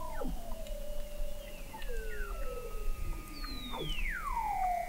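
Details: Weddell seals under sea ice in McMurdo Sound, Antarctica, recorded November 2017 by the McMurdo Oceanographic Observatory 21 m down: overlapping descending whistles, some gliding slowly, others swooping sharply, plus short chirps over a low steady hum.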